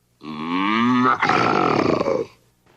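One long cow moo lasts about two seconds. It begins as a smooth, rising tone rich in harmonics, then abruptly turns hoarse and rasping before fading out.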